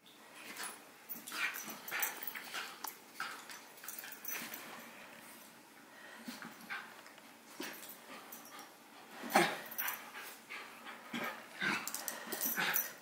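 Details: Two dogs at play, Howie, a six-month-old Havanese puppy, and Remy, a miniature schnauzer, filmed on a Sony a6000: scattered short yips and scuffling bursts, irregular and soft, with quiet gaps between.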